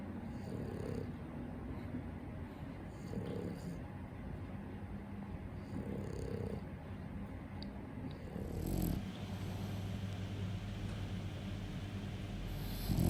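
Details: Pet French Bulldog named Daifuku snoring at home, a low rumbling drone with soft swells of breathy snore roughly every two to three seconds, then a brief rustle near the end.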